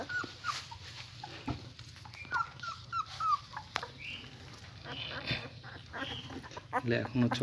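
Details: German Shepherd puppies, eyes not yet open, being cared for and fed by their mother; short high rising squeaky whimpers repeated in a quick run, with a woman talking softly and faint background hum.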